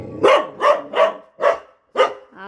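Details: A pet dog barks at a leafy-greens vendor it once feared but no longer does. Five loud, sharp barks come about every half second, followed by a short whine-like tone at the end.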